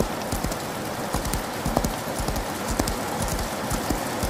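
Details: Horse galloping in the rain: quick, uneven thudding hoofbeats, roughly two per second, half-buried under a steady hiss of falling rain.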